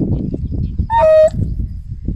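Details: African wild dog (Lycaon pictus), contact call: calling for a lost pack member.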